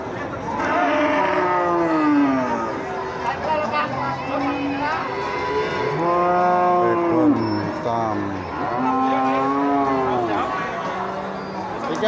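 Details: Cattle mooing several times in a row, each call bending up then falling, spaced a couple of seconds apart, with people talking and crowd noise throughout.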